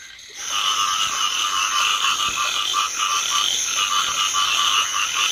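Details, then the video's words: Dense chorus of rice field frogs in paddies during drizzling rain, starting abruptly after a brief quiet moment. Continuous overlapping rattling croaks merge with bright, high buzzing insects. "ซาวด์เอฟเฟคเสียงกบร้อง สนั่นทุ่ง Frog Sound Effect"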